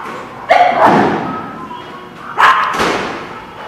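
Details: Dog barking on August 19, 2016: two pairs of sharp, harmonic barks, one pair near the start and a second pair about two seconds later, with a quiet room-like background between them.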